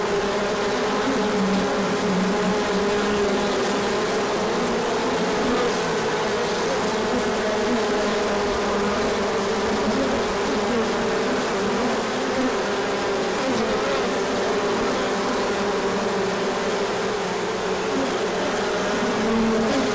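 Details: Large orientation flight of bees at the hive on 24 March 2024, sun out after colder days, pollen arriving; unbroken loud droning of many bees, individual buzzing tones passing and shifting in pitch across the whole stretch.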